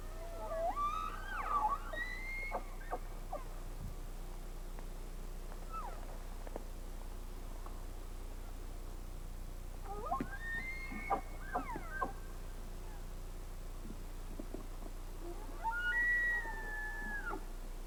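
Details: Live Rocky Mountain elk in the western mountains in September, as bulls gather cows for the rut, give high, whistled bugling calls that rise and fall, in several short bursts.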